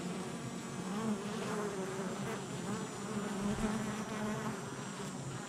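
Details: Busy honey bee hive entrance in July 2024: a thick, steady buzzing hum from many bees, low wavering tones rising and falling slightly as individuals fly in and out.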